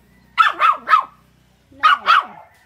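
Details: Shih Tzu dog jealous of a rabbit, barking in two quick bursts: three sharp yaps, a pause of nearly a second, then two more, each bark high and ringing with a brief tonal core.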